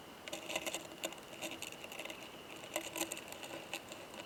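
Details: Male Oomadarakokunusuto beetle beside a female during mating, found in a high-mountain pine forest, producing a loud "kan kan kan": sharp, dry clicks in quick irregular bursts, several per second, over a soft background hiss.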